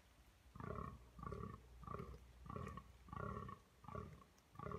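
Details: A red deer stag at the Domaine d'Aristée, France, roars in a rapid series of deep, hoarse bellows, each about half a second long.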